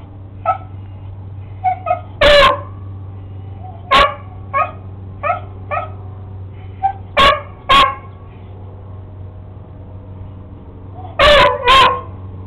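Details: Sammy the beagle, barking at a lizard, mixes short yips with several loud barks, with bursts spread irregularly and a double bark at the close; low steady hum throughout.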